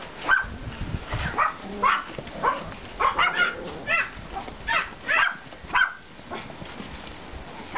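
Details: Pomeranian and klein spitz puppies from litters 32 and 35 out in a yard after snowfall on 5 April 2014, giving high, short yapping barks in quick irregular bursts, several voices overlapping, with faint rustling between them.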